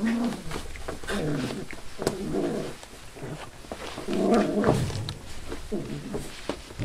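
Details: Five-week-old Labrador/hound mix rescue puppies indoors give harmonic whining yelps and growly yips in bursts of roughly a second, overlapping one another, with small thumps and shuffling between bursts.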